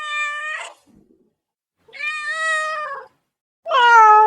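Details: Domestic cat wanting immediate attention: three long, sustained meows with a pause after each, the last one loudest and falling slightly in pitch.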